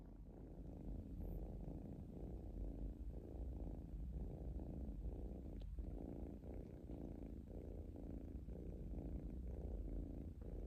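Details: Relaxed kitten giving a continuous deep purr, the rumble rising and falling in a breathing rhythm of about one cycle per second, with a brief soft click midway.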